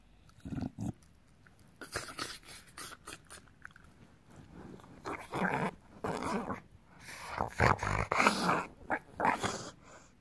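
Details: Bulldog kept as a pet, growling while its belly is rubbed indoors; throaty rumbling growls and snorting grunts come in uneven bursts, growing louder and more frequent toward the end.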